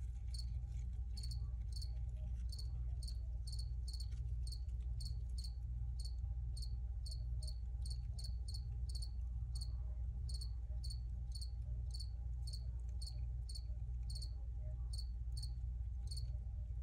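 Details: Original recording of crickets producing a long series of sharp, high chirps, roughly one and a half per second and fairly regular, above a loud, steady low rumble.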